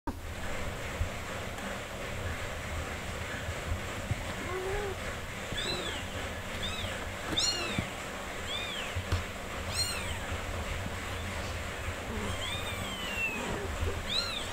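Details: Four-day-old kittens with their mother cat, who is nursing and caring for them: thin, high, arching mews come in scattered bursts, several overlapping later on, over a steady low background rumble.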